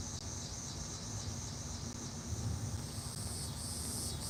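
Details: A loud chorus of cicadas makes a steady, high, hissing drone over a low rumble on a hot day.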